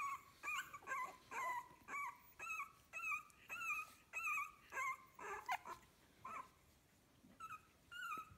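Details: Fifteen-day-old puppies from kennel litter A whine in a quick, uneven series, each cry a short tonal rising-and-falling whimper, about two per second, over a faint background hiss.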